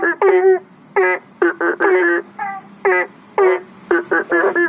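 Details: Banded bullfrogs at a fish pond and aviary pond by a house near a public road, calling for rain: loud, reedy, harmonic croaks in separate bursts about every half to one second, several frogs answering one another over faint background hum.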